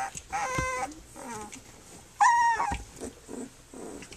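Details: Flute's puppies at three weeks old, nursing and playing; a drawn-out harmonic whine opens, then a sharper rising squeal midway, followed by soft grumbling sounds.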